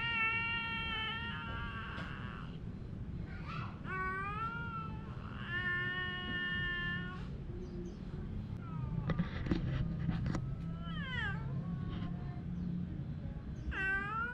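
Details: A male domestic cat gives drawn-out, wavering meows while squabbling with his female companion cat.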